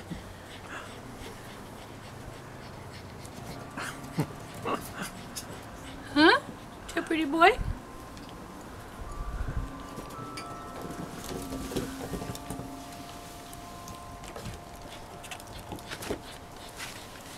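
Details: Six-week-old Cavalier King Charles Spaniel puppies, five in all, romping on a deck with their mother Diva. Two loud, high squealing whimpers sweep up and down in quick succession midway, while women chat steadily over soft patter and background noise.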